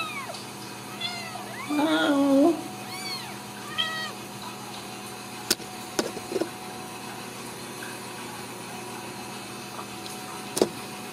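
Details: Ragdoll kittens raised uncaged in a home cattery in central Kansas; a few high, wavering mews with a louder drawn-out cry near two seconds, then faint clicks and steady background hum.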